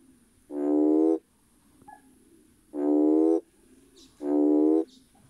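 Three sustained, reedy notes, each under a second long and rich in overtones, come from a red toad at steady intervals. It is the male's mating call, used to attract potential mates.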